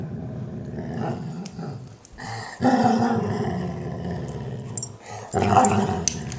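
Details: Sadie, a German Shorthaired Pointer, has her ear cleaned by Roxie, her Weimaraner sister. She answers with happy noises: low, throaty grumbles that swell into a louder groaning growl and then a final surge.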